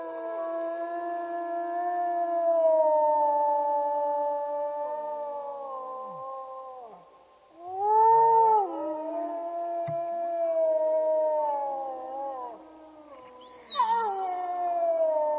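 Several wolves howl together in long, sustained, gliding tones that overlap into a wavering chorus.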